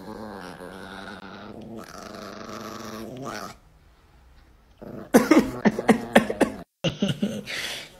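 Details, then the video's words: Grumpy four-year-old female Chihuahua, a small adopted pet that dislikes being teased or stroked and may bite, growls indoors: a steady, rumbling, harmonic snarl for about three seconds, a brief quiet gap, then a burst of sharp snapping sounds. "Ecco una chihuahua un po' isterica che non ama essere stuzzicata"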